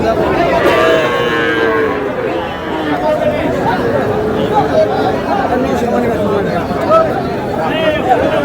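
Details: Young cattle, small bulls and heifer calves, bought by a Noakhali farmer at a busy livestock market on 21 July; drawn-out calf moos rise through the first two seconds above constant crowd chatter and bargaining voices.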